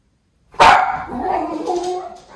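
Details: Miniature Schnauzer, one of the brothers Levi and Lucky, reacting to a package delivery by a different driver in Aroostook County, Maine: a single sharp bark after half a second of quiet, trailing into a drawn-out whining yowl.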